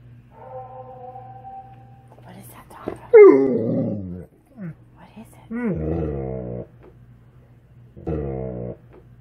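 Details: Alaskan Malamute Tonka reacting to a played Tennessee Bigfoot (Sasquatch) recording indoors: a steady tone, then loud wavering harmonic howl-talk in three bouts, each rising then sliding down, with quiet pauses between.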